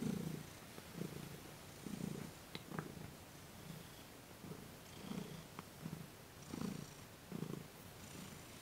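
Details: Domestic cat Thomas purrs while being massaged in a Reiki session recorded December 28, 2021. A steady run of low, throbbing purr pulses in rhythmic breathing cycles, with a few faint clicks and taps from handling.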